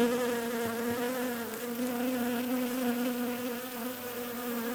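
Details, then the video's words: Steady, fairly soft buzzing of bees, a continuous low hum layered with overtones, pitch nearly level and loudness even from start to finish. "Relaxing Bees Buzzing Sounds"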